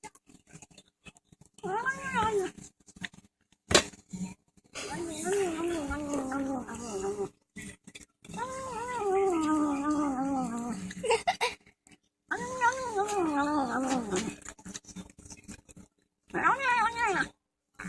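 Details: Overweight male house cat protesting being filmed while he eats indoors; repeated wavering, sing-song moaning meows with rising and falling pitch, several long bouts separated by short pauses and eating noises.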